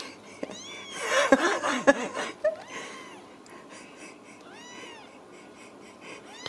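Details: Ragdoll kittens raised indoors without cages at a cattery in central Kansas; a woman's voice and soft wheezy breathing come first, then several thin, high, arching mews rise and fall in short bursts across the second half.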